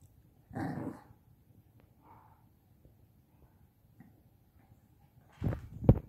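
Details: Bradley, a five-month-old Shih Tzu puppy, plays in a small pop-up tent indoors, giving a short snorting bark near the start and another quick burst near the end, with quiet rustling in between.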